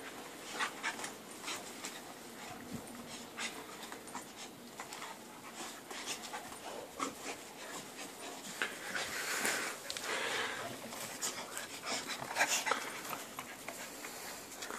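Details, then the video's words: American Staffordshire Terrier panting in rapid, irregular breathy pulses, several per second, soft and airy throughout, with quiet rustling in the background. "American staffordshire terrier"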